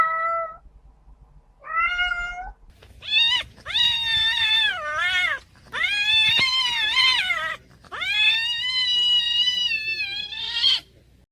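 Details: A female domestic cat gives a run of long, piercing, wavering yowls, the shrill scream made right after mating, said to be caused by the male's spines; heard outdoors in the spring and summer breeding season.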